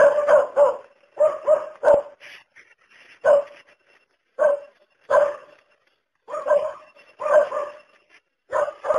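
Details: Single dog giving clipped barks, some in quick pairs and triples, others alone, separated by short silent gaps.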